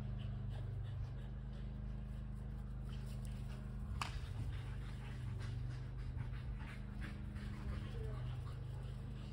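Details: Kelpie cross and Border Collie panting while chasing a tennis ball: quick, rhythmic breathy puffs repeating throughout, laid over a steady low rumble, with one sharp click near the middle.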